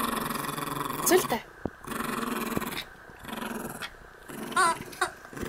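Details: Max, a Yorkshire terrier-schnauzer mix dog born June 2006, growls during morning play indoors: a low, continuous rumbling growl broken by short pauses, while a person speaks Spanish over it with brief exclamations.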